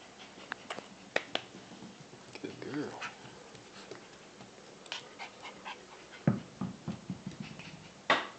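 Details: A 13-week-old Shiba Inu puppy playing indoors gives short, low harmonic growling bursts around the middle and near the end, mixed with sharp clicks and taps scattered throughout.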